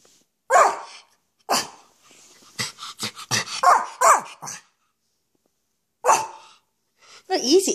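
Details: A pet Schipperke, a spoiled male indoors, gives short rough cough-like barks in scattered bursts, separated by pauses, while a person talks through the middle stretch.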